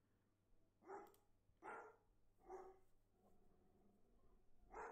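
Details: Recorded dog barking played through a home camera's speaker to scare off cats gathered beneath it, which back away: four short, gruff barks about 0.8 seconds apart, faint and slightly hollow, over low background hum.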